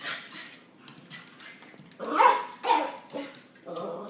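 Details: Playing Miniature Schnauzer and Pointer/terrier/lab mix trading rough, noisy growls and yappy barks, with two louder bursts in the middle and a steady hum beneath.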